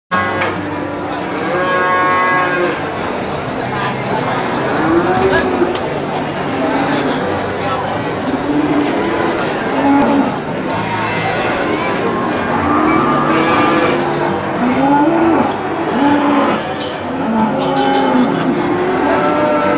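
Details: Cattle at the Boyolali cattle market in Indonesia, several animals mooing in drawn-out, low, rising and falling calls repeated through the clip, over a constant background din of market crowd and chatter.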